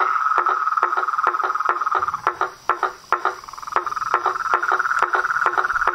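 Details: Toads, frogs and treefrogs calling in nature: sharp knocking pulses repeat irregularly over a steady, ringing trill, with a brief quieter gap near the middle.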